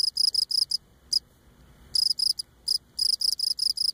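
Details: Close-up Cape Cod cricket stridulating by rubbing legs against its abdomen; shrill high-pitched pulsed chirps in bursts, broken by a long silent gap mid-clip before the rapid chirping resumes.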